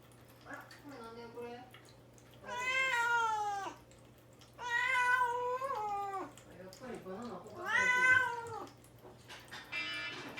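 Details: Mame-Daifuku, a young cat confined to a cage and fasting before neutering, cries to be let out while the mother cat Himawari frets nearby. It gives three long, loud, harmonic-rich meows, with softer mews between them, over a faint hum.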